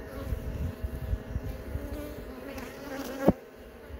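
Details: Honey bee hive buzzing while young bees emerge from brood cells during a hive inspection; low, continuous drone with fluttering pulses, broken by one sharp knock near the end.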